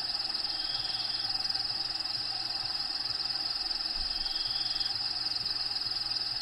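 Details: Crickets in a bearded dragon's vivarium, habitat sounds playing behind: continuous high-pitched pulsing trill, roughly four pulses per second, over a faint low droning pattern.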